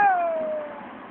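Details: A Siberian Husky named Hunter, refusing to get into the car after a long day because he wants a walk, gives a short, tonal howl that slides gently downward in pitch.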